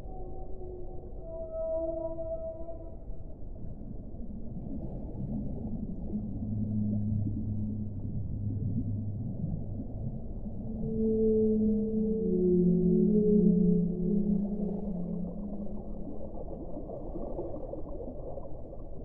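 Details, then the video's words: Whale vocalizing in a deep muffled undersea setting: a brief high tonal note early, then low groaning moans swelling midway, followed by wavering mid-pitched whistled cries that rise and fall, over constant low rumble. "1 ora di suono delle balene"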